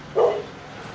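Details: Single short, deep bark from Lala, a Great Pyrenees nicknamed 'seal dog', during her patrol, over low steady background noise.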